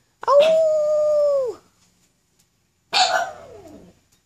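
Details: Black pug Jetta, howling with encouragement, gives a short level howl of just over a second that drops away at the end, then after a pause a noisier, breathy call that slides downward.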